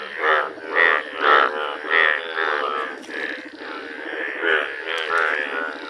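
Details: Indian bullfrogs, bright yellow, in a village chorus: a dense, continuous run of rasping, pulsed croaks that overlap and swell roughly once a second, with no clear pause.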